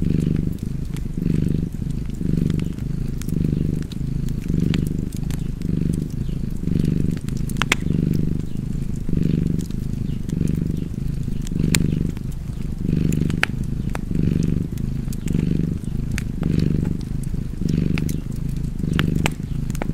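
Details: A cat purrs steadily beside a crackling fireplace, the low rumbling purr rising and falling with each breath about fifty times a minute, while sharp pops and crackles of burning wood sound throughout.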